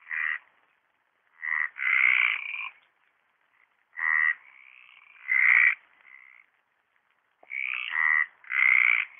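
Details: Chorus of Mediterranean tree frogs at a pond in Orio on 27 March 2013; strong raspy croaks come in clustered bursts, some doubled, with quieter answering calls from neighbouring frogs filling the gaps.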